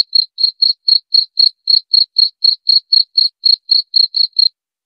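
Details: A cricket's sound meant to drive off mice: a steady series of short, shrill pulses, around four each second, then silence at the end.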